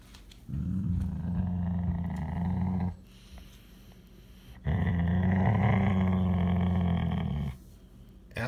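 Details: Siberian Husky; growl; guarding food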